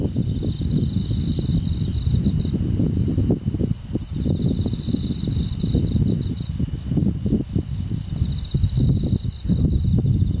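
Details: Countryside summer night with crickets among forest insects: three separate high buzzing trills, each lasting about two seconds, set against a constant deep rumble and rustling.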